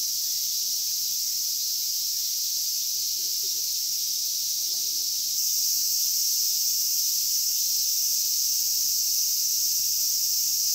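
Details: Cicadas drone in a park at Inagi during bare-handed catching. The high, hissing buzz runs without pause and grows slightly louder about halfway through, with faint low rustling beneath.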